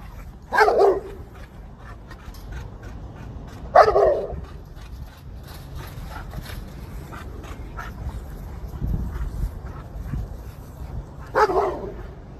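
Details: Dog chasing squirrels, three isolated loud barks spaced several seconds apart over steady outdoor background noise.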